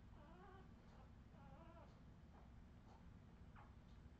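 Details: Redwing Australian Terrier puppies, filmed in 2018, give soft, high, wavering whimpers in two drawn-out harmonic bursts near the start, followed by fainter short squeaks spaced about half a second apart, all over a steady low rumbling hum.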